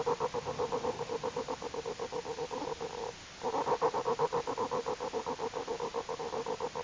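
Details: Newborn big cat cubs, born that morning, nursing and making the happy 'motoring' sound normal during feeding: a rapid, even pulsing about four beats per second, with a short pause near the middle.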